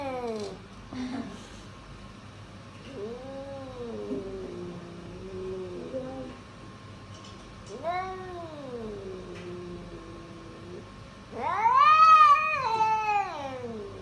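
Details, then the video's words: House cat uttering a series of long, wailing meows spaced a few seconds apart, each arching up and down in pitch, the final one loudest and most drawn-out. "Cat Sounds"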